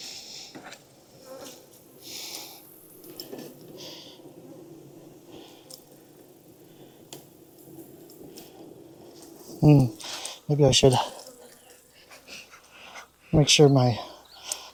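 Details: Honey bees at a backyard hive in Texas during an inspection on a hot day near 92F, after weeks of rain: a low, steady droning hum for about nine seconds, then a man's voice breaks in.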